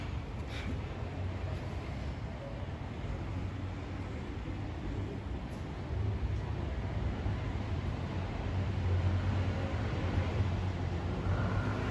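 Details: A low, continuous rumble like distant traffic runs throughout, with a few faint clicks and no animal calls.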